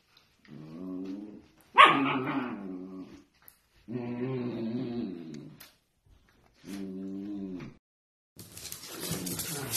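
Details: Playful miniature dachshund making four drawn-out, low, moaning growl-whines of about a second each, separated by short silences, with one sharp yelping burst early on and a hissing noise at the end.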